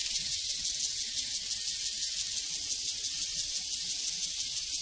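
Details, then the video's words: A prairie cricket chorus forms a bright, sizzling wash of sound, pulsing regularly roughly three times a second at an even level, with no other animals or people heard. "Sounds from a Prairie Crickets and Cowbells"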